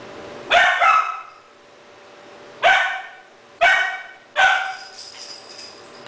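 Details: Rahab, a 3-month-old female Doberman puppy in Cebu City, Philippines, barks at a second-hand stuffed toy puppy, October 12, 2009, on a Sony camera; four high, sharp barks, one then a trio close together, with a steady indoor hum.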